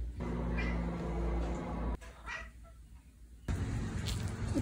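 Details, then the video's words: Indoor Siamese cat named Simon making soft meows in a sequence that gets quieter and quieter: three brief, faint meows spaced about two seconds apart, with a low hum and brief background noise. "25 Progressively Quieter Meows"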